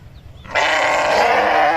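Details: Sheep letting out one sustained, loud, buzzy bleat that starts abruptly after a brief quiet moment and holds steady to the end.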